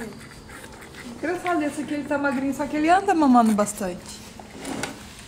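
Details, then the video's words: Rottweiler pups feeding from their black mother produce a long, wavering whine that climbs and then slides downward, followed by a brief fainter squeak. "amamentando filhotes de rottweiler"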